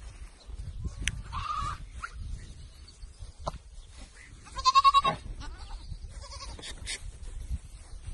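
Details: Four-month-old Boer goat ewes bleating: a loud, wavering, nasal bleat near the middle, with shorter, quieter bleats before and after it, over low rumbling background noise and scattered clicks.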